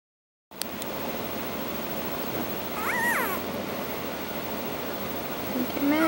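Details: Newborn Dogo Argentino puppies whining: a high arched whine near three seconds, then rising-falling squeals near the end, over steady background hiss.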